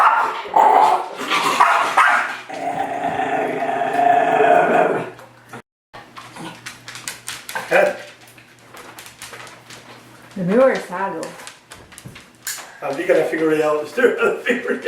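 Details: Cadie, a Miniature Schnauzer, attacking its mirror reflection indoors: sustained growling barks early on, then scattered yips and whiny barks later, with a person talking over the dog.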